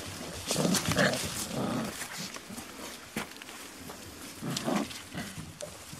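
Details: Five-week-old Beauceron puppies from a Fuertès × Narte litter at the Vag-ner's Mémory kennel, 22 November 2018, giving short low growls and squeaky yelps in bursts, with scattered knocks and rustling in between.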